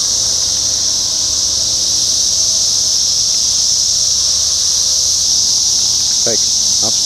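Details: Brood X 17-year periodical cicada emergence, Sharonville, Ohio, June 4, 2021, near a parking lot: continuous shrill droning chorus at an even level throughout, with a few short harmonic sounds, like a voice, near the end.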